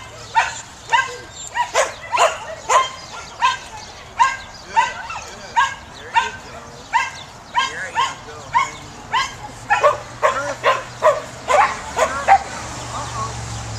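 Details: Samoyed dog herding, barking steadily in a long series of bright, clipped yelps roughly every half second to second, each with a brief arched pitch, over a low steady hum.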